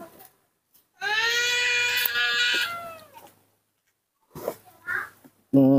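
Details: Newborn baby monkey, hand-reared and being taught to eat papaya outdoors under a tree, gives one long, steady, tonal wailing cry lasting about two seconds, followed by brief squeaky sounds and Indonesian speech.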